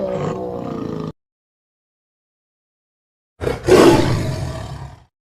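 A tiger gives a deep, rumbling roar, then a pause, then a harsher, raspy roar that fades out.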